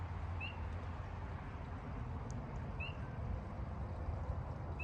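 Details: On a breezy, windy night (3/14/26), a spring peeper gives single high, clear, upslurred peeps about every two seconds over steady wind, with traffic quiet.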